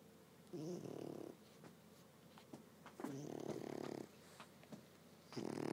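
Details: French Bulldog sleeping indoors, snoring in three rough, buzzy breaths about two and a half seconds apart, each a low rasping burst lasting under a second, with quiet room noise between.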